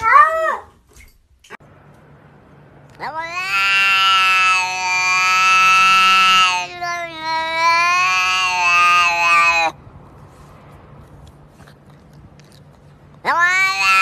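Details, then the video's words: Domestic cat vocalising in a human-like 'talking' way: two long, drawn-out, strongly harmonic meows of about three seconds each, steady in pitch with slight wavering, separated by a brief break, over a faint low hum. "Cats talking"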